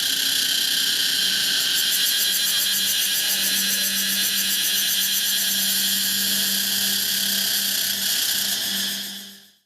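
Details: A Pompania cicada buzzes shrilly and continuously over a steady low hum, then fades quickly into silence at the very end.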